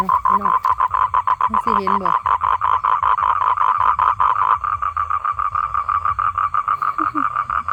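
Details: Male toad calling for females to mate: a loud, steady trill of rapid evenly spaced pulses, mid-pitched and continuous through most of the recording, with a man's voice talking over it near the start.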